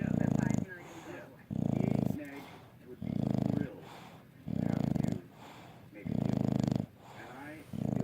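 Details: Sleeping English Bulldog snoring: deep, rumbling snores repeating roughly every one and a half seconds, with raspy breaths between them.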